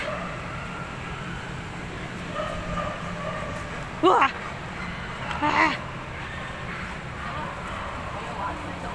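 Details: Alex, a Golden Retriever, barking while playing hide and seek: two short, sharp barks about a second and a half apart, set against a steady background hiss and low hum.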